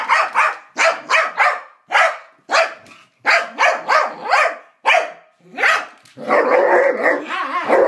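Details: Two dogs named Psyche and Harvey trading strange noises during play; a string of quick yipping barks every half second or so, ending in a drawn-out wavering whine-howl.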